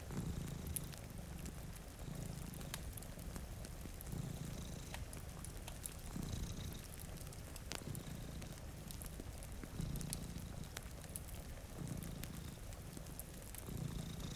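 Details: Two domestic cats asleep in front of a rainy window purr steadily. The low, rumbling purr swells and fades in cycles about every one and a half seconds, under sharp crackles from a fireplace and a soft hiss of rain.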